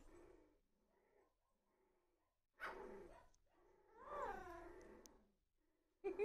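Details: Very young red miniature poodle puppies beginning to play together, giving two bursts of short, harmonic yips and growly whines separated by quiet, with a brief final squeak at the end.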